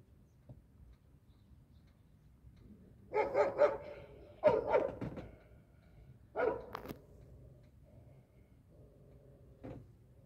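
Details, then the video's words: Stray dogs searching and walking, guard dogs: three bursts of short, rough barks in quick succession, then a faint single yelp over a quiet background. "Stray dogs searching and walking."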